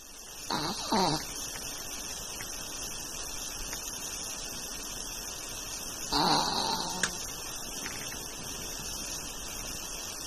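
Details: Chao, a long-coat Chihuahua pet, snoring indoors: two rasping, breathy snores, one near the start and another about six seconds later, over a steady background hiss.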